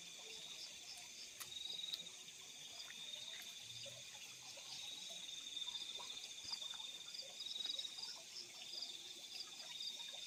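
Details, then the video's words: Several crickets sing together in fields at night, a continuous layered high-pitched ringing with slight waves in loudness and occasional soft clicks. "The Sound of Crickets in the Fields at Night"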